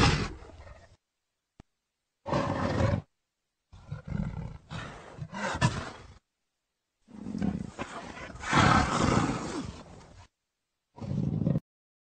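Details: Leopard roaring and growling in short rough bursts separated by abrupt silences, the longest a three-second harsh, breathy roar with a deep rumbling base, ending with a brief final growl.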